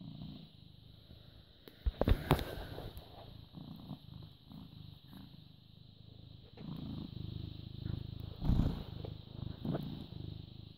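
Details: British Shorthair cat born 18 August 2010, recorded 14 May 2017 at 09:16, giving a continuous low purr broken by loud rustling and knocking bursts of handling, with a steady high hum behind.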